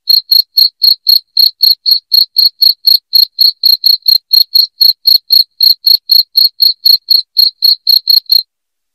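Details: Shrill cricket chirps meant to scare away rats indoors, each a brief high pulse, about four per second in an unbroken regular train that stops just before the end.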